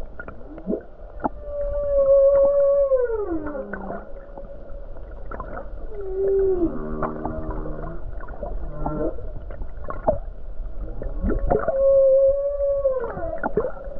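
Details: Humpback whale song recorded near the Hawaii coast on a calm day with numerous whales: long tonal moans, sweeping downward glides and low pulsed grunts, with a phrase repeating.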